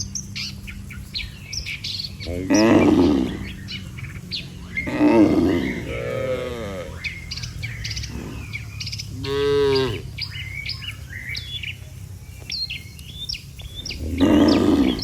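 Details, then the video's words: Dozens of tame cattle walking home together to the barn after a day in the field: loud, drawn-out moos at intervals of a few seconds, some wavering, over constant low rumble and frequent high bird chirps. "Suara sapi Moo"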